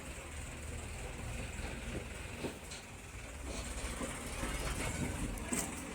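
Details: Rumbling engine-like noise and general outdoor background continue steadily, with a few faint knocks and no animal calls.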